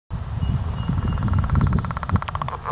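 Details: Leopard frogs calling at Petrie Island in mid April: a quick train of rattling, evenly pulsed notes that grows clearer and faster through the second half, over a steady low rumble of wind and handling noise.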